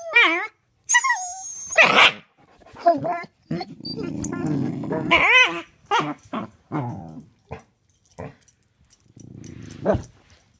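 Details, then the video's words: Corgi and pitbull playing hide and seek indoors, one growling from under a bed; rough growls and short barks mixed with a person's playful speech and high-pitched talk throughout. "There's a monster growling under the bed"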